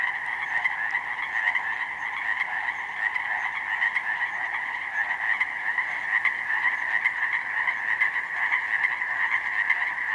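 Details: Huge chorus of Pacific chorus frogs, countless recently matured from tadpoles, calling in a slough meadow flooded with snowmelt on a spring day in May; dense overlapping croaking ribbits merge into a steady unbroken wall of sound, two-toned and constant.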